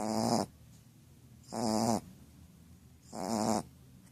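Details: Pucca, a female Shar Pei, snores in her sleep: three harsh rattling snores, each lasting about half a second, spaced roughly every one and a half seconds, with soft breathing between.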